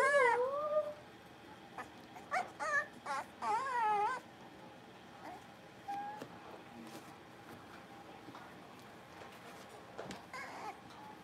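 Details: Five blenheim Cavalier King Charles Spaniel puppies born on New Year's play together in a home puppy pen; loud wavering whines and high rising yelps open the clip, then quieter scattered yips and squeaks over faint background hum.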